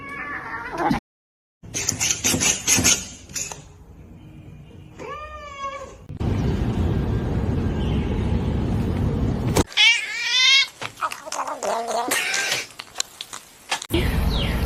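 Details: House cat meowing indoors among people talking: a drawn-out wavering meow midway, then a louder rising-falling meow, with voices, rustling and bursts of noise between calls.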